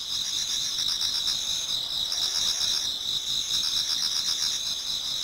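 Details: Numerous insects in a Japanese garden in autumn, towards dawn, sing a steady piercing high hum, with rapid pulsed chirps repeating about four times a second beneath it.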